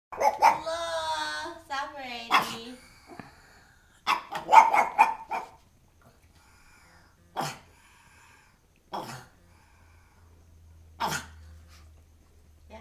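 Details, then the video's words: A black pug barking at a doll: a whiny, tonal vocalisation at the start, then a burst of sharp barks and single barks spaced a few seconds apart, with a voice audible early on. "black puggy Cello barking at a doll"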